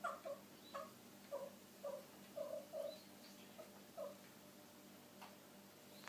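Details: Five-month-old male Abyssinian kitten chirping 'kupo kupo' at birds beyond the window instead of meowing: a quick series of brief, clipped, doubled chirps about every half second, fading out after four seconds, with a faint room hum.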